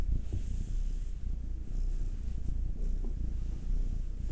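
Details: Domestic cat purring while being massaged, one of two house cats, a nine-year-old black male and a two-year-old tortoiseshell Munchkin female; a soft, low, steady rumbling throb with faint rustling, quiet and close.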